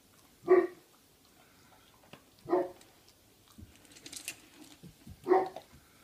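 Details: Three-month-old Great Pyrenees puppy indoors at home. Three separate short, low woofs are spaced about two to three seconds apart over a quiet room background with faint handling noises.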